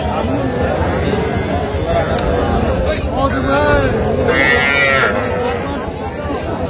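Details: Sahiwal calves, small bulls and heifers, at Aftabganj cattle market in Dinajpur district on a Saturday, 7 July 2025; several drawn-out, wavering moos rise over constant crowd chatter and men talking nearby.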